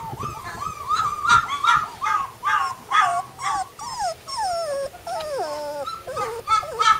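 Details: Sibling flat-coated retriever puppies whining in a steady string of high, nasal whimpers, then drawn-out descending whines that slide downward, with a few sharp yips near the close.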